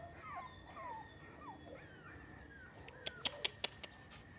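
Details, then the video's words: Miniature Schnauzer giving a series of thin, wavering whines that bend up and down in pitch, followed near the end by a few sharp clicking taps; a steady electrical hum runs underneath. "schnauzer miniatura"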